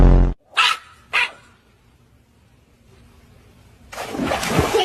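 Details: Chihuahua giving two sharp, high yaps about half a second apart after a loud low thud, followed by a quiet stretch and then a rush of broadband noise at the end; speech nearby.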